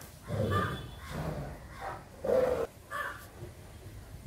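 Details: Barking from dogs of a group of Fila Brasileiro brothers and a Great Dane: five loud, deep, rough barks spaced about half a second apart, the fourth strongest, over faint background noise.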